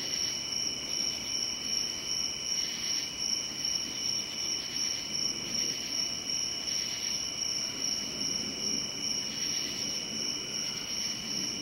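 Crickets give a steady, high-pitched trilling chirp that runs without pause over a faint background rumble.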